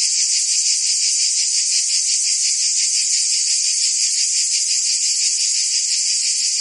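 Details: High, unbroken buzzing of singing cicadas on a summer day in Provence, France, with a fast regular throb and constant loudness throughout.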